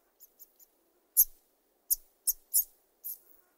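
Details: Two or more hoary marmots (Marmota caligata) calling at close range give sharp, very high-pitched chirps: three faint quick ones, then five louder bursts at an uneven pace over two seconds, with Steller's jay calls in the background.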